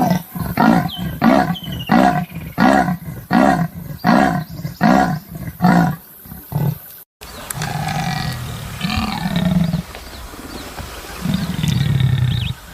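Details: Leopard giving a series of hoarse, rasping grunts, about two per second, each a deep sawing breath, for some seven seconds; afterwards birds whistle over a low rumbling background hum.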